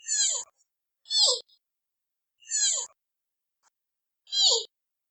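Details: Baby giant panda giving four shrill, high squeals about one second apart, each a bright burst that drops into a lower trailing whine; quiet between calls.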